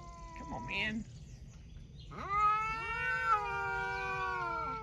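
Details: Cat talking with a short, wavering chirp-like call, a pause, then a long meow that swoops up and holds steady for more than two seconds before tapering off.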